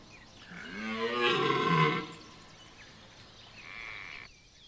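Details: Red deer bellowing in the rut at Chambord, France, September 2021: a single rising, rasping roar lasting about a second and a half, somewhat distant, followed by quieter background sounds.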